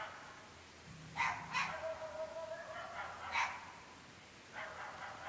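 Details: Incessant night barking from dogs in a very remote rural part of the UK, recorded at 11.30 pm: a quick pair of sharp barks, a long, low, drawn-out whine, then another bark and a softer bark run, all distant-sounding.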